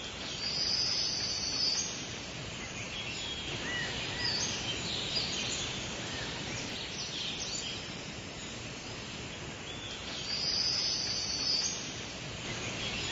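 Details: Summer cicadas fill the air with a dense, hissing, high buzz that swells briefly twice.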